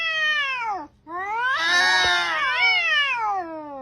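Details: Domestic cat making two loud whining meows: the first slides downward and breaks off, then a second rises, swells into a harsh, strained peak, wavers, and trails off downward.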